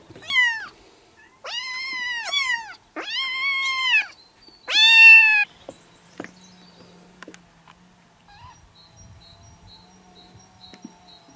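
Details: Kitten meows used to lure a cat close: four loud, clear arched mews in the first five seconds, each bending up then down, followed by quiet room noise with faint clicks.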